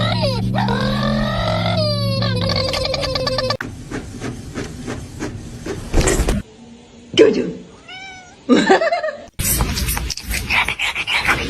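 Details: Chatty house cat meowing indoors: a loud, sustained harmonic meow bending downward, followed by a rapid pulsed trill, then shorter chirping meows mixed with human voices and indoor clatter.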